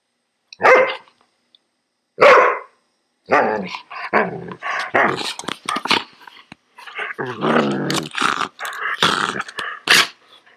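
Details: Poodle growling while being groomed, letting out sharp snarling barks and then a run of short, ragged growling bursts with brief pauses between them.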